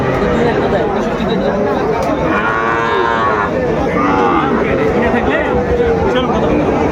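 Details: Sahiwal bull calves at a busy Mymensingh cattle market, Bangladesh, 30 May 2024; repeated arching moos, some long and wavering, overlap one another under a constant din of people talking.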